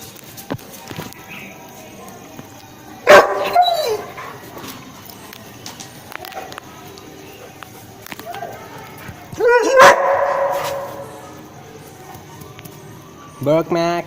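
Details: Seven-month-old Rottweiler dog giving two short, loud, harmonic barks several seconds apart, each ending in a brief rough tail, with a faint low murmur and a quick rising yelp-like sound at the very end.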